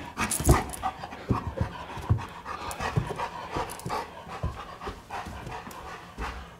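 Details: A 125 lb Giant Schnauzer that has just learned to climb steps pants quickly and breathily at home, in short irregular puffs, while its owner calls it up and down the stairs and laughs.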